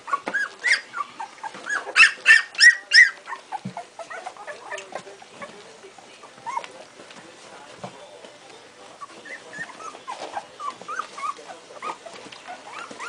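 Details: A litter of Strongbow puppies two weeks old, whining in short high squeaks; a loud cluster of shrill yelps early on, then softer scattered whimpers with rustling, picking up again toward the end.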